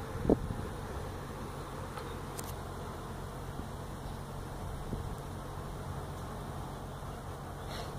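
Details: Feral honey bee colony nesting inside a tractor tire in a tire stack at a citrus orchard in Mission, Texas, disturbed during hive removal: a dense, steady low hum of many bees, with a brief sharp click near the start.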